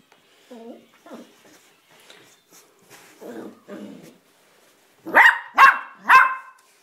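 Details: Elvis, a dog stuck on the stairs who can climb up but can't or won't come down, gives three sharp barks in quick succession near the end, after softer whines and low vocal sounds indoors.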